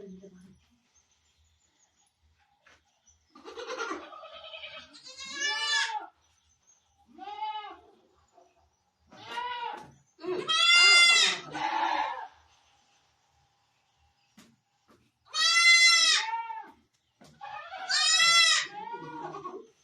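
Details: Barbari goat during delivery on a Sultanpur goat farm, India; a series of strained, quavering bleats, several loud and drawn out, coming every few seconds, with faint human voices between.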